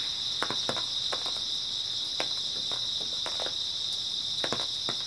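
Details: On an early autumn night, grass insects produce a seamless high-pitched trilling chorus; a handful of sharp snapping clicks, some paired, break in at irregular moments.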